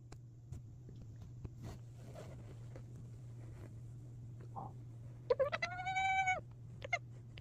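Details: Female domestic cat making odd calls that sound excited: after about five seconds of near quiet with a steady low hum and faint clicks, one loud, drawn-out, harmonic-rich meow lasts about a second, followed by a short squeaky call.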